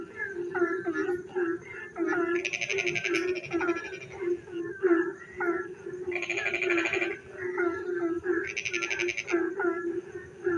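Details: Frogs singing in the dark night while it rains: many short, bent, tonal calls overlap, broken by three rasping, pulsed bursts of about a second each, all above a steady low droning hum.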